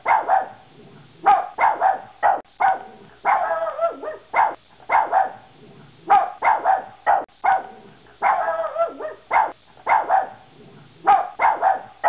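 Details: Barking Yorkshire Terrier: rapid clusters of high, sharp yaps alternating with longer, strained whining barks that waver in pitch, continuing steadily for about twelve seconds.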